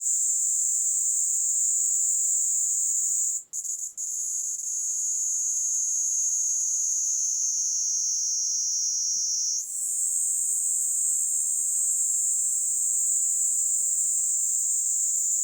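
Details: Kaempfer cicada (Platypleura kaempferi) singing while perched on a person's hand in the Kanto region of Japan on July 26, 2022: a continuous high, dense buzzing drone with two brief breaks early on, then a slight upward shift midway before resuming steadily.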